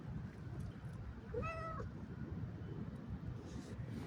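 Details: Pet cat out on a walk, one clear drawn-out meow with a rising then level tone near the middle, set against constant low outdoor rumble.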